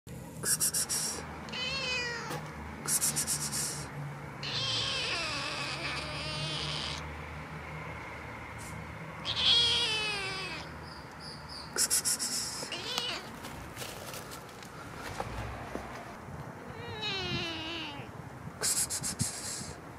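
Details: Hungry male kitten meowing because it has no food; a long run of loud, rising-and-falling meows, some drawn out and wavering, others short, coming every second or two with brief scratchy clicking noises between them.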